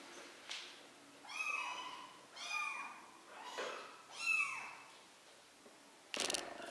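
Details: Kittens three weeks old, excited while learning to walk, meowing in four arching, slightly rising-then-falling calls about once every second, followed by a loud rustle at the end.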